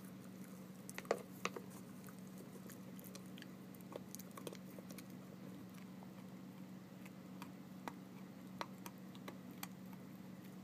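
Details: Eleven-week-old puppy Emma gnawing on rawhide indoors: irregular soft clicks and crunchy snaps, a few louder bites early on, over a steady low electrical hum.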